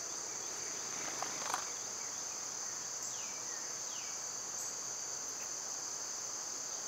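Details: Cicadas fill the summer air with a continuous high, hissing drone. A soft thump comes early, and two quick falling bird notes follow about three seconds in.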